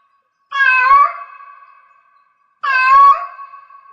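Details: In heat, a cat repeats a rising, nasal meow twice about two seconds apart, each call starting loud and fading into a long, thin trailing tone.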